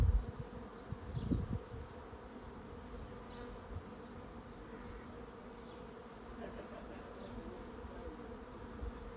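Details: Faint, even buzzing of a honey bee swarm settling into a swarm trap, one short low rumble near the start, then a quiet, unchanging hum.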